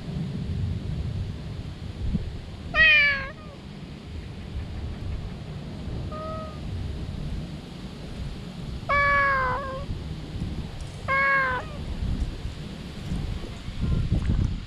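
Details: Stray cat resting in the shade of a tree cries out loudly with joy on seeing a familiar face; four rising-falling meows, the second faint, spaced a few seconds apart over a steady low rumble of wind.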